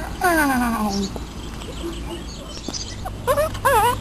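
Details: Two Great Dane puppies, four weeks old, playing outside for the first time: a drawn-out whine slides downward, then after a pause come two short wavering yelps, with a person's voice calling softly in the background.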